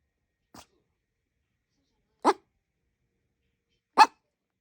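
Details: Chihuahua-Maltese mix dog begging indoors, giving three short, sharp barks about two seconds apart; the first is faint and the last two louder, with silence between.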